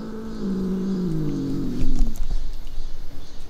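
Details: Ragdoll cat that brings a toy to its owner every day while meowing a sound like "eomma" (mom); a low, drawn-out voiced call of about a second and a half, gently falling in pitch, followed by soft thumps and rustling indoors.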